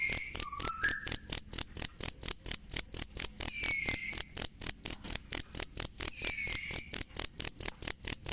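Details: Cricket chirps used as training sound for songbirds. A steady run of bright, high-pitched pulses sounds roughly twice per second. Soft bird whistles are heard in the background.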